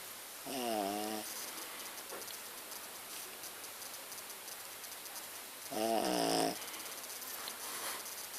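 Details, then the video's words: Pet dog named Muffin snoring loudly while asleep indoors: two long rasping, harmonic snores about five seconds apart, each lasting under a second, with quiet steady room noise between them. "Snoring dog Muffin..."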